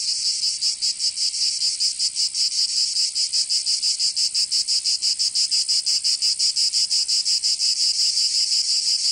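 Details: Cicadas in a Provence summer, southern France, producing a bright rasping buzz that pulses rapidly, close to three beats a second, slightly irregular at first then steadier, filling the whole stretch.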